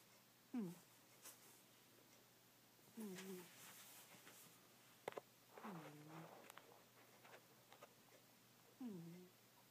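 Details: Sleeping pet cat Goldie snores in a small room. Brief nasal whistles dip in pitch on each breath, four snores spaced a few seconds apart, with faint tapping and rustling noises in the background.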